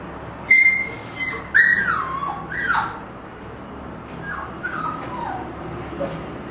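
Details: Siberian husky puppies from a kennel litter born 1 October 2009, three pure white and two gray-white, give high whistled whines that slide downward in several short bursts, with a woman's voice speaking just after.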